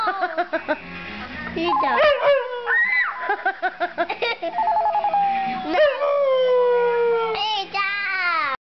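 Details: Female pet dog howling in response to a phone ringtone. The ringtone's bright electronic melody plays throughout, and long, wavering, descending howls rise over it, loudest in the second half.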